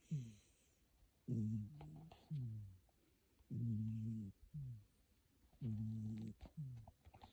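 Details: Sleeping cat snoring heavily indoors, as it does only when sleeping in the room: deep, buzzy rumbles alternating with shorter breathy snorts, about one every two seconds in an uneven in-and-out rhythm, in a quiet space.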